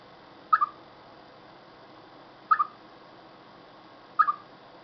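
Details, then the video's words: Ahead of coming rain, a chipmunk gives three clipped two-part chirps, each a bright note followed at once by a softer echoing one, spaced roughly two seconds apart in near silence. "Арбузявка перед дождём"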